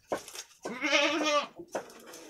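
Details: One-week-old brown Jawarandu goat kid, one of two playing together in a pen, recorded 6 November 2021, gives a single strong quavering bleat of almost a second, framed by short scuffling knocks before and after.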